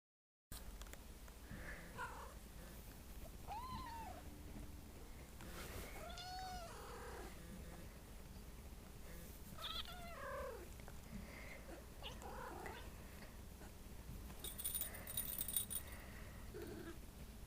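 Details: A pet cat, described by its owner as a weird cat making a weird noise, gives soft, scattered, bending meows with rising and falling tones, several short calls spaced over the clip, over a low steady indoor hum.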